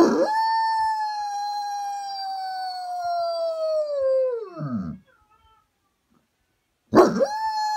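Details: A German Shepherd, mimicking husky howls heard on a video, holds a long, clear, mid-pitched howl for over four seconds that sags and drops at the close, then begins a second howl on the same note; German Shepherd.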